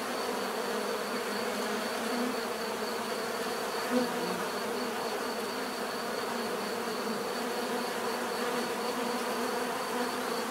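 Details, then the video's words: Continuous hum of numerous bees, a thick even buzz of overlapping wingbeats with one bee passing near the microphone around the fourth second, a faint high tone persisting throughout. "bees therapy relaxing natural buzzing sound"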